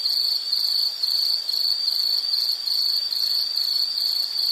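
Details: Shrill, high-pitched insect chirping in a nature soundscape, pulsed in quick regular bursts of roughly half a second that merge into a constant ringing drone.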